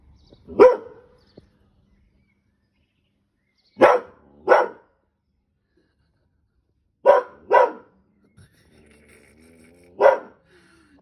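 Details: A 7-month-old male Border Collie puppy in a garden in Wales, on 2 May 2022, barks sharply and loudly at his own reflection in a new garden mirror, singly and in quick pairs with quiet gaps between.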